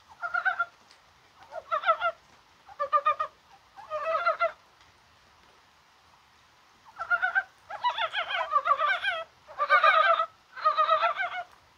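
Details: On a rainy 21 January that feels like spring, Korean brown frogs give rapid pulsed croaks. Several scattered bursts are followed by a quiet pause, then a denser, overlapping cluster of calls near the end.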